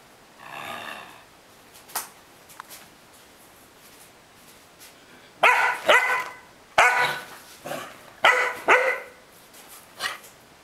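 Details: Luna, a dog resisting being moved off the bed, starts with a low muffled grumble and soft yips, then breaks into a run of harsh, forceful barks in quick pairs through the second half, indoors.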